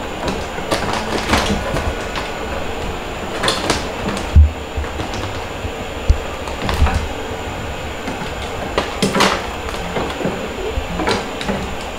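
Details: Irregular knocks, thumps and rustling handling noises fill the room, with no animal calls among them.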